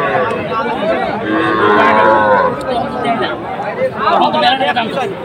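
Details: Sahiwal bull calves at a cattle market, Aftabganj, Bangladesh, 18 October: a long wavering moo with rising and falling tones mid-clip, then shorter calls, over a steady crowd murmur and chatter.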